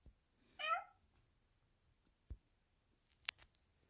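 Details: A black Persian cat that doesn't want to stay inside the house gives one clear meow that rises then falls, followed by quiet room sounds and a few sharp clicks.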